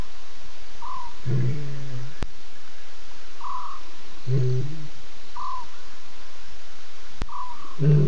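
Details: Wild lioness contact calling while visiting a waterhole at 12:30 a.m. on 12 September: low, moaning calls repeated roughly every three seconds over a steady background hiss, with brief higher notes and two sharp clicks.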